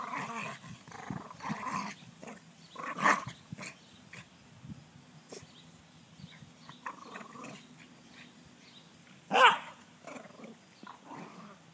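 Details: Dog giving a run of short rough growls and grumbles, broken by a few sharper yelping bursts, one loud bark-like outburst near the end, with quieter muttering sounds in between.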